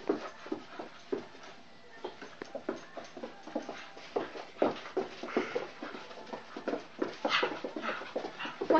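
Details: Nancy, a pet dog, chasing her tail indoors, a habit she shows in the evenings; a dense run of short gruff bursts, snorts and scuffles, irregular and rapid throughout, with no clear tonal calls.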